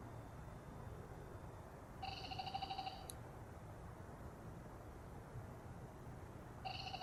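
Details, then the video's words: Male black-spotted pond frogs calling in chorus, with a pair of tree frogs also present. There is a roughly one-second rattling, pulsed croak with buzzy upper tones, then another begins near the end, over a low background rumble. "참개구리의 떼창"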